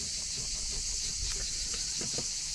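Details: Cicadas at a campsite at Narbonne Plage on a very hot summer evening sing in chorus, a very loud, unbroken, high-pitched buzzing drone.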